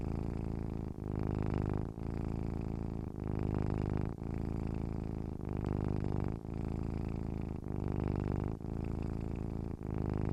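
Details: Purring cat heard up close: a low vibrating hum in steady waves, each breath-cycle lasting around a second with small breaks between, nothing else audible.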